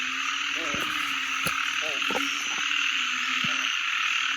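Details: Young banded bullfrog, tiny but extremely loud: short, low, nasal harmonic notes repeated irregularly, singly or in close pairs, over a constant high-pitched insect-like drone, with a few sharp clicks.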